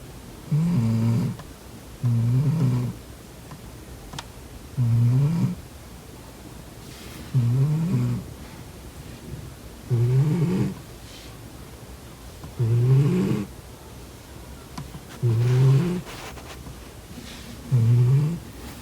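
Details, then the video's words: Domestic cat snoring in its sleep while someone tries blocking its nostrils: eight steady, low, grating snores, each about half a second long and repeated every two to two and a half seconds, in a quiet room. "코 골면서 자는 고양이 콧구멍 막아보기😺 코고는 고양이 Snoring cat"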